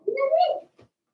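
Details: One of Daisy's four-week-old Cavalier King Charles Spaniel puppies in the puppy pen gives a single drawn-out tonal whine. It rises slightly and then fades, followed by a soft rustle.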